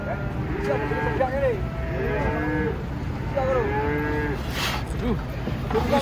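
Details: Several short, arched moos come in quick succession from giant cattle coming down off a truck. Deep background rumble and distant voices sit underneath.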